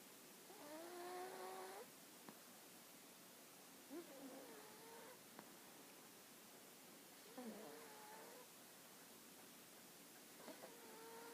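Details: Sleeping dog Hana snores in a slow breathing rhythm, giving four whistling, wavering nasal tones about every three seconds, each roughly a second long, with soft clicks and low room noise between them.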